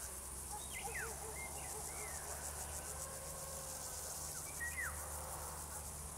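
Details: Crickets keep up a steady high-pitched pulsing trill beneath clearer bird notes, with quick whistled slurs and chirps, and a low steady hum underneath.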